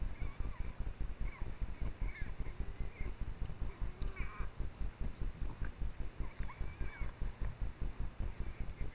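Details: Nursing Japanese wild boar mother with three piglets, one suckling, along a forest trail among Japanese red-cedar at dusk on a trailcam: continuous low pulsing oinks in a regular beat, overlaid by scattered thin squeals and chirpy squeaks from the young.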